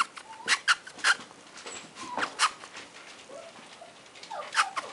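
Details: Male Toy Poodle puppy Varden, red apricot in colour, whines in a string of brief high squeaky whimpers, some sliding downward, spaced irregularly across a few seconds against a faint hiss.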